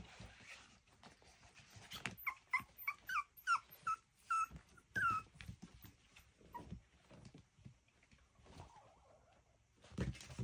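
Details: Miniature schnauzer puppies playing indoors, giving a run of short high whimpering yelps in the first half, each a brief falling squeal, then scuffling and softer thumps of play.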